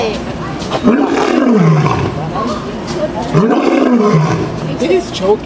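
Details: Two low, hoarse roars from a lion kept at the Bronx Zoo, USA, each a rising-then-falling groan about a second long, spaced roughly two and a half seconds apart over steady background chatter from onlookers.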